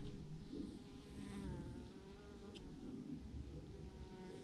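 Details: A swarm of bees clustered in a huge mass on a branch drones in a dense, continuous low buzz that holds steady throughout.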